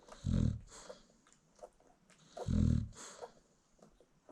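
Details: Two deep, rumbling snores about two seconds apart come from an American Bully mother sleeping as her newborn puppies feed, with soft suckling and shuffling sounds between them.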